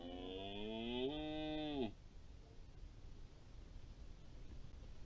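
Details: Red deer bellowing during the rut, recorded 04-10-20: a single drawn-out harmonic call of nearly two seconds, rising slightly and then held steady before cutting off abruptly, followed by quiet background hiss.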